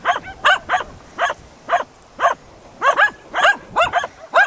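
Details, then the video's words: Close, loud baying from hunting dogs Prle and Pirana over a dead deer at Salas on 8 September 2012: bright, strident barks in pairs and short runs, about two to three per second. "ABBAIO AL CERVO MORTO"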